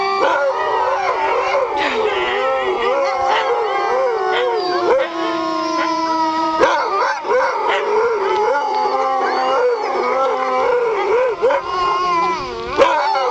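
Several sled dogs howl together in long, wavering overlapping tones, some sliding up and down.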